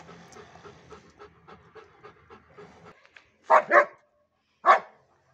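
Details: Mixed-breed German Shepherd dog panting in soft, regular breaths for about three seconds, then three loud, sharp barks close together break the quiet.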